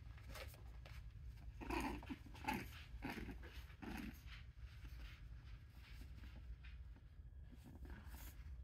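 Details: Six-week-old red brindle and white English Bulldog puppies indoors in Darlington, SC, make short snuffly grunts and soft whimpers clustered around the middle of the clip over a steady low hum.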